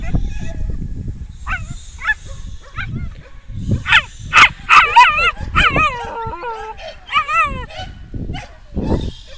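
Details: An 8-month-old Welsh Terrier, usually quiet, barks wildly in sudden fear, possibly from pain, with its tail clamped between its legs. Loud, sharp barks mix with high, wavering whines and yelps in an irregular burst, with some voices in the background.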